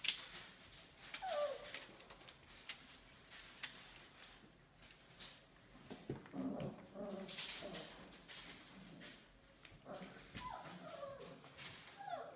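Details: Five-week-old Australian Labradoodle puppies from Olive's litter indoors, giving a few brief high falling whimpers and yips scattered among shuffling and clicking noises in a small room.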